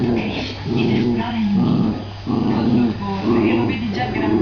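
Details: Jack Russell Terrier playing with its father, another Jack Russell; low, wavering growls and whiny grumbles come in uneven bursts with short pauses, a constant low hum beneath.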